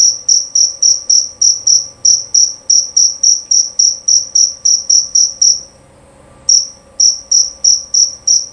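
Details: Shrill, clear chirping of a male jerabang cricket: rapid, evenly spaced high-pitched pulses that stop for about a second, then resume at the same brisk rhythm.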